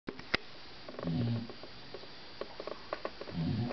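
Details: Bulldog snoring indoors, loud enough to be heard through a closed door with a television on. Two low, rumbling breaths about two seconds apart, with faint clicks and background hiss.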